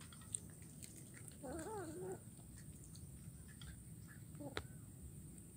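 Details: Kuala Kapuas, Central Kalimantan, 17 July 2019: a kitten eating fish bones gives a single wobbly, rising-and-falling meow lasting about half a second, then faint chewing clicks follow in a quiet indoor setting.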